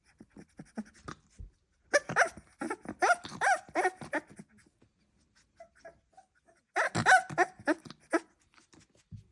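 A Staffordshire Bull Terrier puppy gives bursts of short, squeaky barks and grunts.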